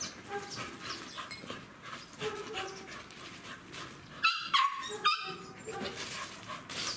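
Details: American Staffordshire Terriers playing at a river on their first visit there, with a woman urging a dog to fetch, then a burst of three yelping barks over steady outdoor noise.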